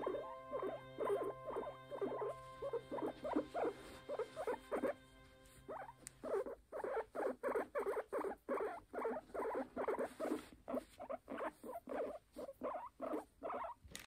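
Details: Pon-chan, a timid pet guinea pig on guard, makes a steady run of short pulsed squeaks at about two to three per second; faint music plays under the first six seconds, then the squeaks continue alone.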